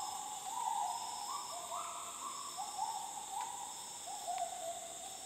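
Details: Wild gibbons in the north Borneo jungle of Sabah, 2011: clear hooting notes climbing in stepped phrases, then dropping and climbing again, backed by a constant high insect hum.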